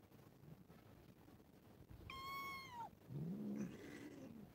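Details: Domestic cats, four animals of one family, playing and quarrelling with each other: one clear, drawn-out meow sliding downward in pitch, then a lower, rougher wavering cry from a cat, over a quiet background hiss.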